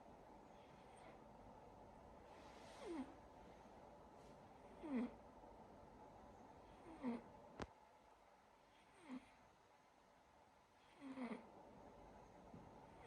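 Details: Sacha, a silver Siberian Forest kitten, snoring while asleep: soft breathy snores with a brief falling squeak, about every two seconds over a steady indoor hiss, with one sharp click partway through.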